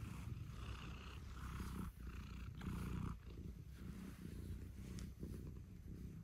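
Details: Close, loud purring from a domestic cat waking its owner at dawn indoors, a thick rumble pulsing in long breath cycles of about one to two seconds each.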